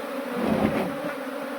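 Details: Asian honey bees from an absconded swarm being moved into a modern hive, a loud, steady, buzzing drone that swells slightly in the middle and holds throughout.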